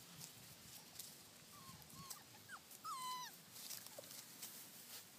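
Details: Four-week-old Labrador Retriever puppies from a litter of six (three yellow females, two black females, one yellow male) whelped August 14, 2012, giving a series of thin high whines, one longer drawn-out falling whimper in the middle, over soft rustling.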